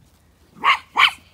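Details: On a very hot farm day in County Kilkenny, Ireland, while ewes and lambs are brought in and sorted, a sheepdog (possibly Inca) gives two quick, sharp barks about a third of a second apart.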